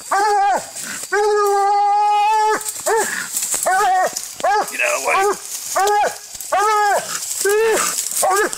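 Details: Walker hound during a coon-hunting fight, recorded on an Android phone: a short bark, then a long drawn-out steady bawl of about one and a half seconds, followed by a quick series of clipped, rising-falling barks.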